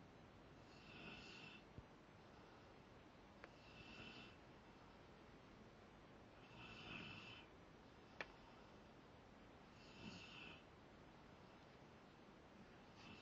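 A sleeping Rottweiler snores in soft, raspy, breathy rasps about every three seconds.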